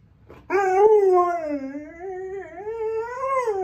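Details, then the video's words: Pet dog indoors, said to be imitating her owner's singing, gives one sustained tonal howl that wavers and slides, dipping low then rising toward the end, with rich overtones and no other sounds. "Dog talking & doing vocal exercises for singing, slid in a bark"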